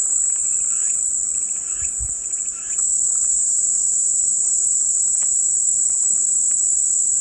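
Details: Relentless high cicada whine running evenly from start to end, with a brief faint low thump near the second mark and scattered soft chirps behind.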